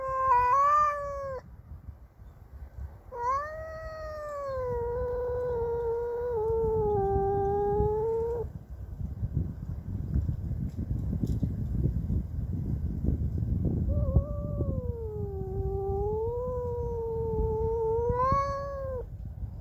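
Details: A domestic cat named Cassey, angry at a neighbour's cat entering her territory, gives long drawn-out wavering yowls, three sustained howls with rising and falling pitch separated by short pauses, over low background rumble.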